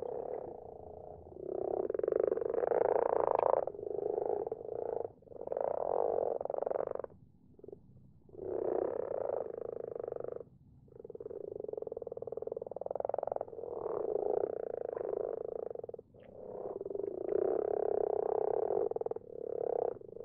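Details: Night chorus of common frogs in a garden pond; continuous overlapping purring croaks swell and fade in waves lasting several seconds, broken by brief quiet gaps, with many frogs calling together throughout.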